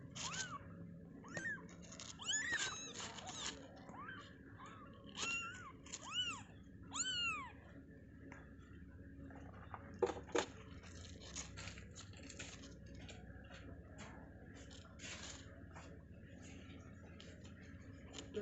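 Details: Newborn kittens moments after birth in their cage give high, arched, harmonic mews in quick bursts over the first seven seconds, then fall quiet, leaving soft clicks and rustling in a small room.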